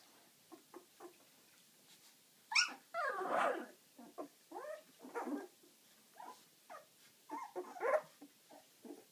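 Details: Ziva's eleven-day-old puppies moving about produce a few faint squeaks, then louder wavering whines and nasal moans in bursts, some overlapping.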